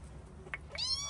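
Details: Domestic cat meowing indoors while waiting to be fed in the morning: a short faint chirp, then a brief rising-falling meow near the end, with a quiet background hum.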